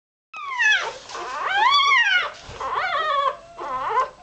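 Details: Hours-old Irish Terrier pup squeaking while searching for warmth and milk; several high, rising-and-falling whining squeaks with clear harmonics, each about a second long, separated by short pauses.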